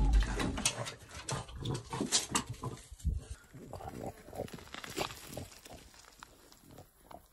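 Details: French Bulldog eating, snorting and grunting in quick, noisy, pig-like bursts that are loudest at the start, then trail off into softer snuffling and chewing noises.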